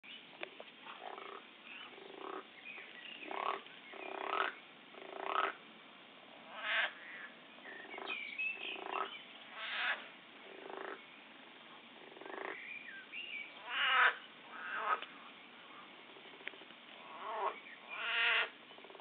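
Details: Frogs said to be fighting and killing each other: harsh, nasal croaks come in bursts about every second, some rising or wavering, several voices overlapping, with quieter background croaking in between.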